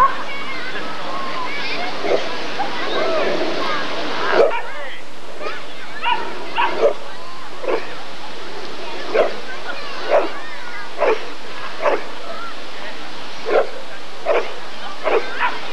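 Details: Rottweiler at the 1994 ADRK Körung breed survey: muffled talk and crowd noise for about four seconds, then about a dozen sharp, mid-pitched barks at roughly one-second intervals over a steady background hum.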